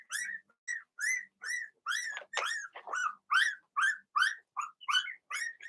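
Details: Cavalier King Charles Spaniel puppies, Blenheim-coloured and only weeks old, yelping in a steady run inside the puppy pen: high, arching squeals repeated more than twice a second, with a few lower, rougher yaps mixed in.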